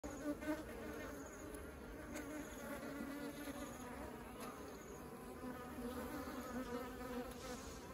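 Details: Honeybees carrying honey into their beehive, a steady dense buzzing hum with many overlapping wingbeats, continuous throughout with no other clear sounds.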